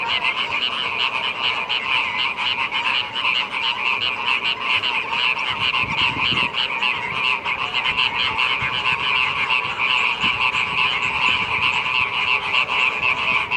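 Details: Frogs calling as the rainy season arrives in Indonesia; a dense, continuous chorus of rasping, overlapping croaks at steady loudness throughout, with no pauses.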